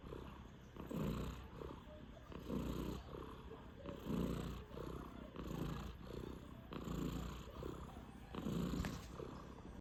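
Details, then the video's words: Snoring Sphynx cat, five months old, gives low, husky breath sounds that rise and fade in regular pulses about every one and a half seconds, evenly paced throughout. "스핑크스고양이 코골이"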